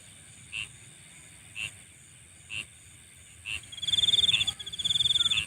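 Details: Insects calling at night: evenly spaced short chirps, then a loud, fast pulsing trill starts near the end and stops briefly before resuming, all above a constant high whine.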